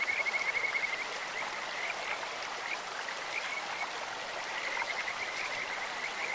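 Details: Kajika frogs in a clear stream: a sharp whistled trill at the start, followed by scattered high chirps repeated several times a second, over steady flowing water.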